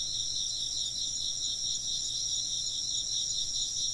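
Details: Chorus of chirping insects, used as ambient sound for work or sleep: dense, high, steady trilling in layered bands with a gentle pulsing shimmer, unbroken throughout, with no other clear sounds.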